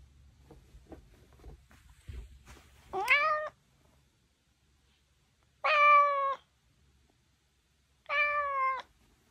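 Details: A Maine Coon cat (Felis catus) gives three loud, drawn-out meows, each about half a second long, waking its owner like an alarm.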